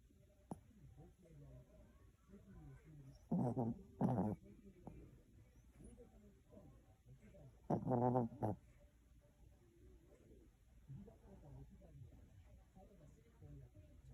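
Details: A dozing Chihuahua snores softly indoors, giving two loud, buzzy, harmonic snorting bursts about four seconds apart, each made of two quick pulses, with faint breathy rumbles between them in a quiet room.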